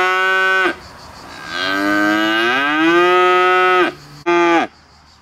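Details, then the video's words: Galloway cow, white and hornless, at Vendargues: one short moo, then a long drawn-out low that slowly rises in pitch and holds, ending with a brief clipped final call. "VACHE qui MEUGLE 🐄CRI de la VACHE"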